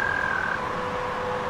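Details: By a river, American toads give a long, steady, high, even, musical trill that fades away over rushing river water, with a fainter lower tone following the trill.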